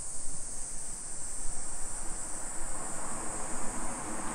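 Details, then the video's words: Japanese summer cicadas heard in suburban Nisshin, Aichi Prefecture, at 2 PM on 28 July 2021: a constant high-pitched droning hiss fills the whole stretch, with faint low traffic noise beneath. "Summer Cicadas Sounds"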